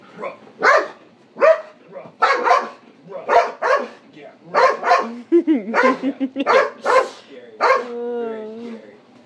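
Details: Malinois barking at night: a rapid run of loud, harsh barks roughly every half second, some ending in whiny, wavering tones, with a person's voice briefly heard.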